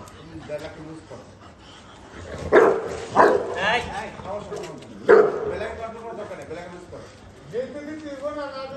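Three heavy, abrupt barks burst out a second or two apart, an aggressive warning toward an unfamiliar dog. People's voices run underneath throughout, with softer whining between the barks.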